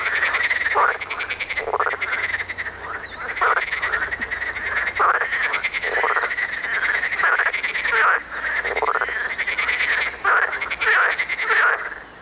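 A marsh frog gives loud, rattling croaks in bursts, each one rising and rolling like a chuckle.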